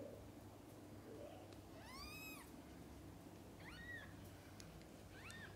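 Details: A mother cat feeds and bathes her kittens. Three thin, high-pitched mews arch up and down, spaced about one and a half seconds apart, over a low background hum.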